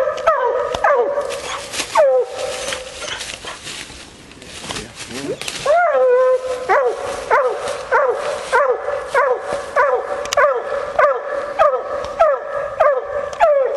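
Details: Female Bluetick Coonhound hunting raccoon: a few barks, a quieter rustling gap, then a long bawl followed by rapid repeated short barks at about two per second.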